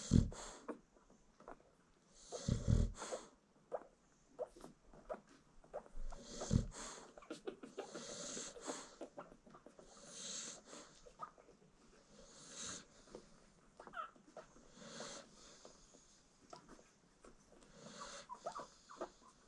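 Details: American Bully mother peacefully snoring indoors while nursing her newborn puppies; soft, raspy breathy snores rise and fall every two to three seconds, with faint puppy squeaks and suckling noises in between.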